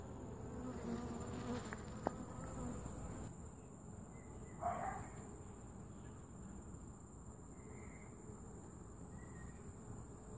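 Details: Honey bees humming at a top bar hive during an inspection and feeding; a soft continuous drone, louder in the first seconds, with a brief nearby buzz passing midway and light handling knocks.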